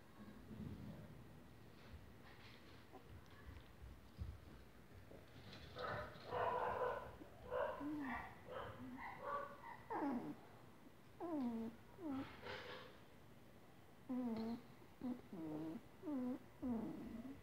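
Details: English Cocker Spaniel puppies aged 25 days give high, wavering whines and squeaks in overlapping bursts.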